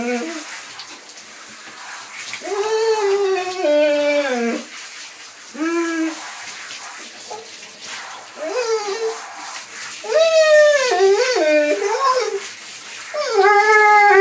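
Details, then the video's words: Drawn-out, quavering howls from a singing dog, some notes held for nearly two seconds and bending downward at the end, others brief and rising, set against continuous hiss. "Singing dog"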